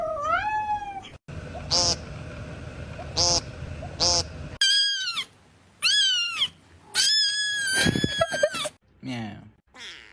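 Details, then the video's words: Cats meowing repeatedly: high, arching, drawn-out meows that rise and fall, some clustered closely together, with short noisy gaps and faint voices in the background. "The healing sound of cats"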